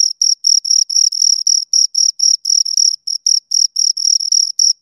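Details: Pair of crickets producing a fast, shrill stream of pulsed chirps, roughly four per second with brief gaps, clean and unaccompanied by any background noise.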